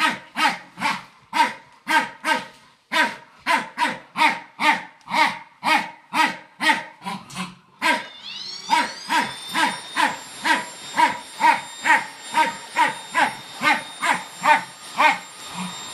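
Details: Rek, a fox terrier, barks rhythmically at a Samsung hoover. A brief lull follows, then the vacuum's whine rises as it starts up, and the quick regular barks continue over the steady mechanical hum.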